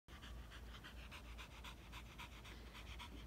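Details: Female Border Collie, tired after a few minutes of playing catch with a ball, panting fast and hard: quick, breathy huffs repeated several times a second in a steady rhythm, with no other sounds.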